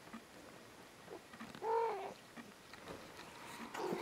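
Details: A kitten gives one short meow, a clear, slightly arched tone lasting under half a second, with soft rustling and faint scattered clicks before and after.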